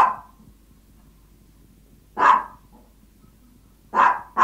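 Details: Hungry Yorkshire Toy Terrier asking its owner for food, giving isolated shrill yaps spaced about two seconds apart, with quiet stretches in between.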